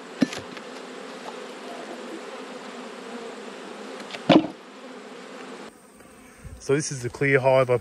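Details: Honey bees humming during an autumn inspection of twelve backyard beehives, where one colony has swarmed and raised a new queen; a dense, steady low drone holds for over five seconds, broken by a sharp knock, then a man's voice at the end.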